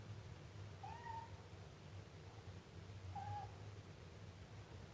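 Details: Two drawn-out, slightly wavering mews from a Siamese kitten about two seconds apart, set against a faint continuous low hum.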